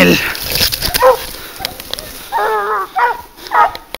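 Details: Asturian hunting dog flushing a wild boar during a hunt, giving a few short wavering yelping barks in the second half, while hunters shout nearby.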